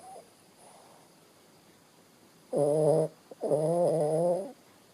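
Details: Sleeping Shih Tzu, Bo Bo, gives two loud buzzy snores in a row, the second longer at about a second, each with layered harmonic tones, after a quiet stretch.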